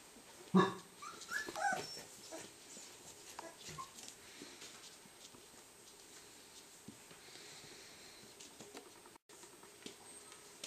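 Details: Three-week-old Cardigan Welsh Corgi puppies indoors: one sharp loud squeal, then a few short thin whimpering squeaks a second later, followed by soft rustling and quiet room noise.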